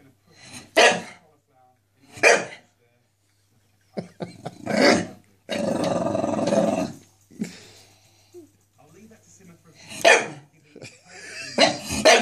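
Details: Staffordshire Bull Terrier barking at a wire indoors: sharp, loud barks spaced about a second apart near the start, a rough sustained growl-like stretch in the middle, then more barks near the end, with human voices in between.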